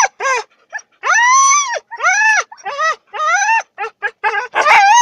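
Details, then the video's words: Wolf-like Siberian huskies "sing" before training, howling in short, arching tones that rise and fall, one bout after another. "Хаски похожие на волков поют песню"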